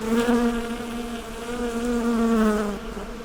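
A honey bee's steady, droning buzz, a low hum that wavers slightly in pitch as it passes.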